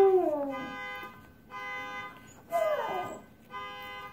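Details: A husky howling in response to a car alarm: a falling, wavering howl at the start and another sliding howl midway, alternating with the alarm's steady, pulsing electronic tone in one-second bursts.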